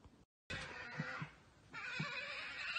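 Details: European badgers fighting in a garden in Norway on 14 July 2019, also running at the recorder, giving harsh, shrill squeals and screeching chatter in short bursts.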